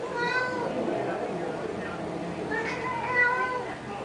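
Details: Pet cats indoors, fighting over a pink toy Mustang: faint, drawn-out harmonic meows at the start and again near the end, under a steady hiss of room noise and human voices.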